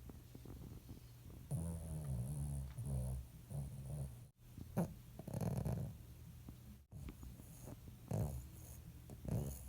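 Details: A rescue Shih Tzu snores in low, rattling rasps with breathy pauses between breaths.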